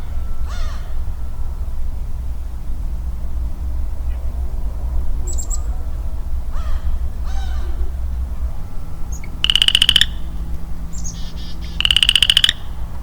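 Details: A lonely male western chorus frog in early spring woodland gives two short pulsed, rattling trills about two seconds apart. Earlier, other woodland critters give scattered harsh, caw-like calls and brief high chirps over a low rumble.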